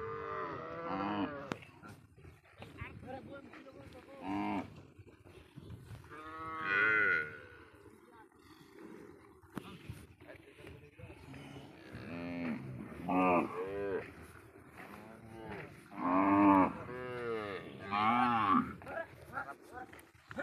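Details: Cows on a char of the Padma, reportedly stolen and brought across the Indian border, lowing again and again over twenty seconds; rich harmonic moos rise and fall, overlapping at times, amid murmuring background noise.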